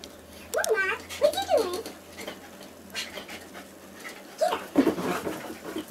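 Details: Two dogs fighting indoors: Molly, a labradoodle, and Casey, a 6-year-old basset hound rescued from a puppy mill. High, bending whines and yelps come in quick bursts, with a pause, then more yelps; people talk nearby.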